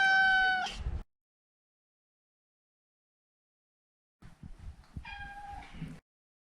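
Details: Neutered male Maine Coon named Maro lets out a loud, clear meow, then after a pause some soft rustling and a second, weaker drawn-out mew.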